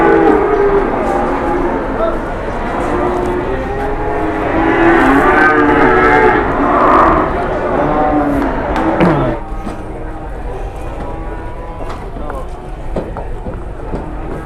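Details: Cattle after coming down from a truck in Indonesia; drawn-out lowing moos for about nine seconds, then quieter, with knocks, clatter and a man's voice.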